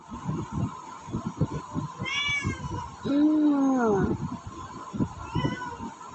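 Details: Hungry pet cat asking for food, as she usually does in the morning: one long drawn-out meow sliding downward mid-clip, a brief higher meow before it, amid rhythmic clicking and tapping noises.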